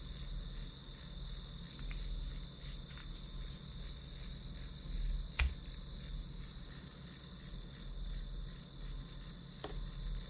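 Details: High-pitched grass insect calling repeats in rapid even pulses, close to three a second, above a faint low hum; one sharp tap breaks in midway and another soft click comes later.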